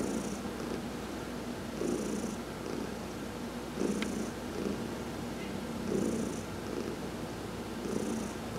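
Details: Cat Heidi purring under massage during a sun bath; deep rhythmic purr swelling on each breath about every two seconds, with a single faint click midway.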